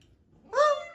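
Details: Bengal cat meowing indoors, asking to go outside; a single short meow, rising quickly then holding steady and fading, in a quiet room.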